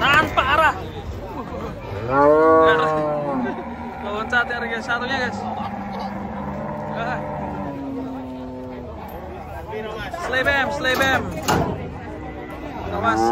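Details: Agitated cattle, caught while coming down from a truck, give a loud rising bellow, then a long, steady, drawn-out low moo held for several seconds; people talk and shout over and around the calls.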